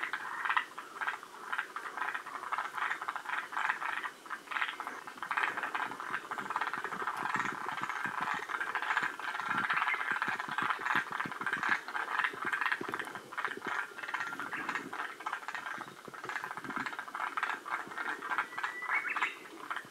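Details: Forest green tree frogs from Shiriya, Aomori, one of the northernmost populations. Rattling croak bursts keep up through the clip, loudest near the middle, with clicking and a steady noisy wash underneath.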